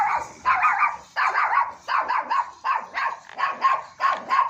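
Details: Long-coated German Shepherd dog at Joyia goat farm, Bahawalpur, barking in a quick series of sharp, mid-pitched barks, some doubled, roughly nine bursts within a few seconds.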